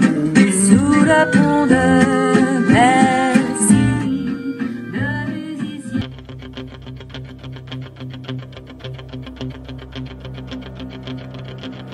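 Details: Music with guitar and singing plays throughout, with no animal sound heard. A sung, distorted passage gives way to a steady strummed rhythm.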